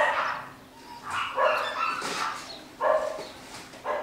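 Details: Nine-week-old Jackateese puppies (Jack Russell crossed with Maltese), home bred in a new litter; a few drawn-out whimpers and short yelps rise and fall with pauses between them, the last yelp sharp and sudden.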